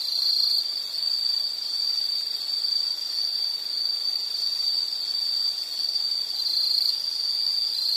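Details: Steady insect trilling from a soothing nature soundscape, a high, shimmering drone that never pauses, rising and falling slightly in volume over the seconds.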